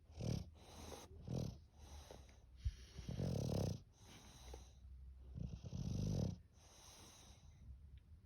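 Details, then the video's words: English bulldog snoring in a steady series, rasping, wheezy snorts roughly every second or so, some drawn out and gurgling, with softer breathing between. "Funny snoring english bulldog!"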